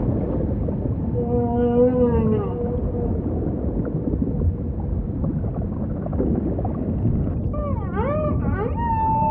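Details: Humpback whale song phrase: a sustained harmonic moan, then after a pause a quick series of looping upswept and downswept whoops rich in overtones, with steady deep underwater rumble throughout.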